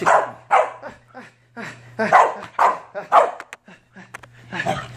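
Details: Corgi being given a bath at home, voicing a run of loud, harsh barking yelps, about two a second, each a short burst with a steady low hum underneath.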